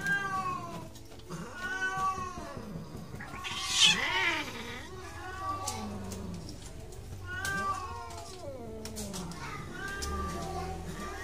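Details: Domestic cat caterwauling during mating, with repeated drawn-out wavering yowls that rise and fall, roughly every few seconds, plus a brief harsh hissing burst near the middle and steady low background hum.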